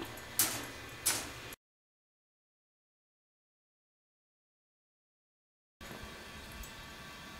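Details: Two sharp door-like knocks in quick succession, then a stretch of dead silence before faint room noise returns, with no animal heard.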